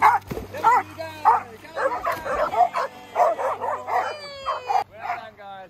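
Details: Two Vizslas at a dog daycare farm swimming pool, one newly confident in the water. Excited, high yelping barks repeat about every half second, mixed with a man's encouraging voice praising the dogs.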